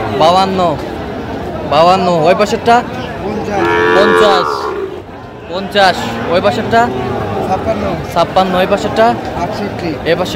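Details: Lowing from Sahiwal bulls at a cattle market on 28 July 2025, a Narsingdi farmer's new purchase; one sustained moo around four seconds in, amid loud overlapping men's voices and crowd noise.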